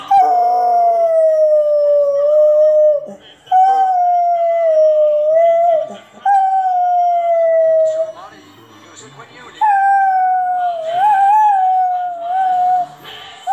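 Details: German Shorthaired Pointer singing along to a TV commercial jingle, long tonal howls gliding slightly, four sustained phrases of about three seconds each separated by short breaks, commercial music and a person's voice beneath.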